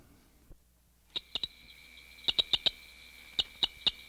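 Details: A southern cricket frog (Acris gryllus dorsalis), smallest species in a mixed Florida frog chorus, gives sharp, high, metallic clicks, singly and in quick pairs and triplets.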